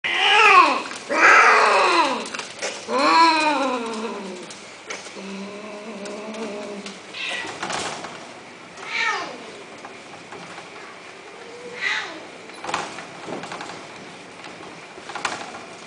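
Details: Domestic cats at a cattery in an Arabic-speaking region, with kittens for sale. Several loud, arching harmonic meows open, rising then falling over about a second each, followed by softer, shorter mews and faint clicks in a small indoor room.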